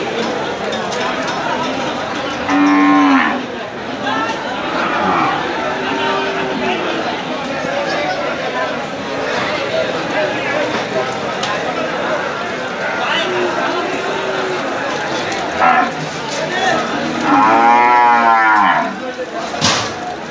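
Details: Several cattle out in the rain give loud, drawn-out moos near three and eighteen seconds, with steady rain hiss and faint voices underneath.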